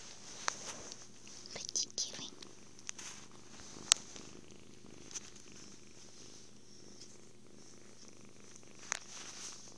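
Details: Happy kitten purring during cuddles, food and sleep, a soft low rumble beneath whispered speech and scattered sharp clicks, recorded indoors on a phone.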